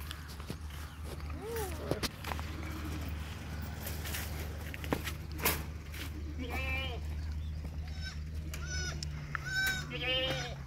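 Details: Red doe goat that unexpectedly gave birth to two kids on a farm; a wavering bleat early on, then a run of high, quavering bleats in the last four seconds over a steady low hum and faint human voices.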